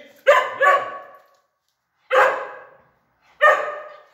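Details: Pointer dog training at home, giving three loud barks: a quick double bark near the start, then two single barks spaced about a second apart, each sharp and harmonic-rich, with silence between.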